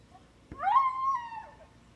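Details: Three-year-old male Siberian Husky screaming when tied out outdoors, an odd high cry likened to a little girl; one rising then long level wail of about a second, sliding down at the end.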